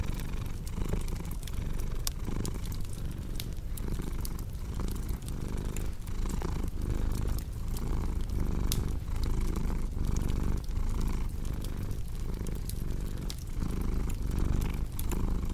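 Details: Cat's long unbroken purr, a deep rough drone pulsing with each inhale and exhale, accompanied by constant fireplace crackling and occasional louder snaps.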